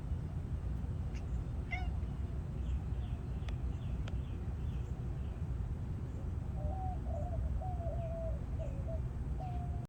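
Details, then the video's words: A Bengal cat chatters to attract birds, giving wavering, chirpy mid-pitched trills over a heavy low rumble. "Bengal Cat Talks to Birds"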